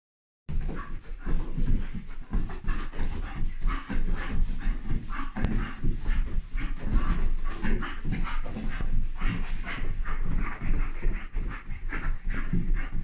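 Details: Bull Terrier pestering its mother to play first thing in the morning while she has only just woken; a steady run of rough, breathy grumbles and pants with throaty pulses, continuing for the whole stretch indoors.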